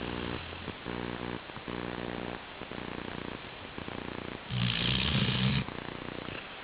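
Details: Chi-chan, a sleeping Labrador Retriever, snoring: low rumbling, buzzy breaths in short rhythmic bursts about every half second, then a longer, louder rasping snore near the end.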